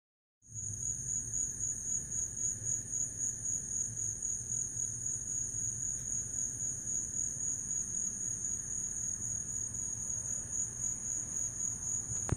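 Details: Cricket. Crickets keep up a high, shrill trill that pulses rapidly without pause. A faint low rumble sits beneath the steady chorus.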